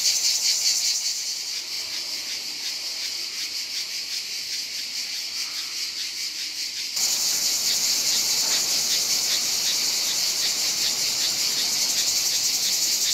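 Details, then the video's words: Cicadas in Provence, France, on a hot summer day: a high rasping pulsed buzz from many insects, quieter at first, then abruptly louder and brighter about halfway through. "Cicada's sound in Provence (Chant des cigales en Provence)"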